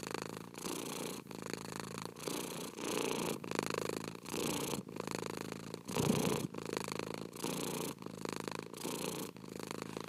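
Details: Purring cat, a continuous vibrating rumble broken into regular inhale and exhale pulses about every half second, evenly loud throughout, in a quiet setting.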